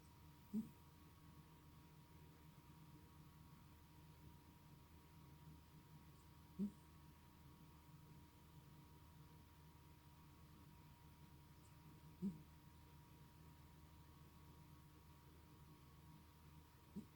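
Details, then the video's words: Snoring male house cat, indoors: short low snorts recurring about every six seconds, separated by quiet breathing, over a steady electrical hum. "Snoring Cat"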